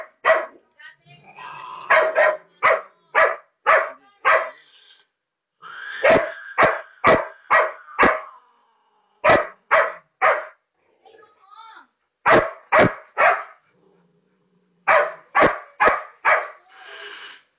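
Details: Female labrador retriever barking at a cat shown on a computer screen, an animal she hates: sharp, loud barks in fast runs of four to six, separated by short pauses and a few softer whining notes.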